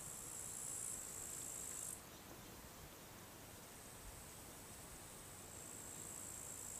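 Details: Crickets on a summer day around a farmhouse: a steady, very high, shrill insect trill runs throughout, loudest for the first two seconds and then softer, over a low rural background rumble.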